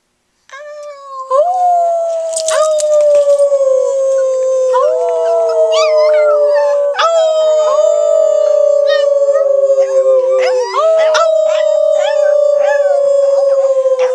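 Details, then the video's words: Chihuahua from Silverlake howling on cue indoors: long sustained, slightly falling tonal howls, several overlapping in sequence, with brief sharp yips and squeaks breaking in between. "Kilo Howls on Cue"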